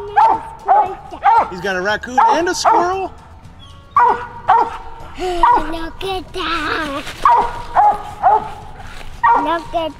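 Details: Barking from hounds on a family coon hunt with a mountain cur and a Walker female. Short, loud barks come in clusters of two or three, separated by brief pauses, with human voices in the background.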